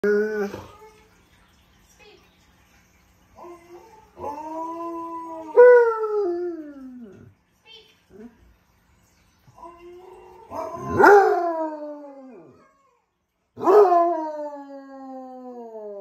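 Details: A Basset Hound howls to Malamutes in the afternoon in long, mournful, wavering tones that slide downward, answering the other dogs.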